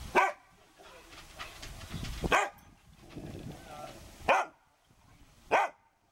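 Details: Maggie, a pet dog, barking for attention on Sunday midday, September 16, 2012, at 12:31 PM, filmed with a Canon PowerShot SX260 HS: four sharp, loud barks spaced one to two seconds apart, with low rumbling and faint voices between them.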